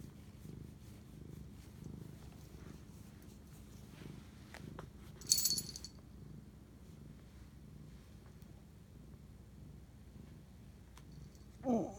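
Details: Purring domestic cat bonding with its owner at 11:07 pm, March 25, 2019; a quiet, steady rumble underlies the recording, interrupted by a sharp rustle near the middle and another handling noise at the end.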